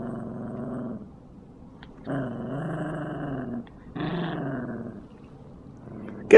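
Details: Yorkshire Terrier growling during a tug-of-war game: low, steady, harmonic growls held for about a second at a time, separated by quiet pauses, with a sharp noise at the very end.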